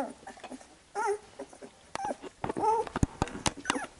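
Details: As the mother licks her Labrador Retriever puppies clean after nursing, brief soft whimpers rise and fall between wet licking clicks and smacks, quiet overall.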